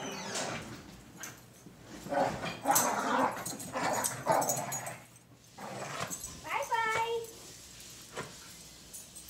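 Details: Cocker spaniel female growling during a tug-style game when someone pretends to take her toy; rough growls blend with a person talking, and a short high whining yelp rises briefly toward the end.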